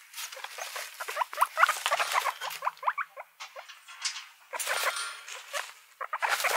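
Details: Guinea pigs give short squeaks and rising chirps among loud rustling and scratching sounds, the calls coming in irregular clusters.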